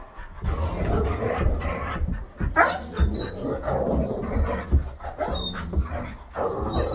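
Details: Bo and two other dogs (a Great Dane, a wolf-hybrid and an Aussie mix between them) play rough in a living room; throaty growl-like huffs and panting mix with scuffling, plus a few faint high squeaks.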